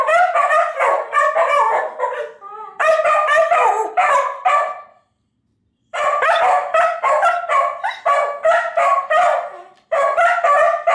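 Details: A pair of household dogs howl along with playback of their own earlier howling; bursts of warbling, yipping howls break into rapid pulses, pausing twice for about a second before resuming, ending with a man's remark.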